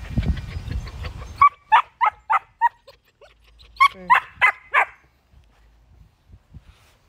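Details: Dog from a household with a German Shepherd and a Miniature Poodle giving a fast series of sharp, high-pitched yapping barks, about eight in three seconds, after a woman speaks Spanish affectionately.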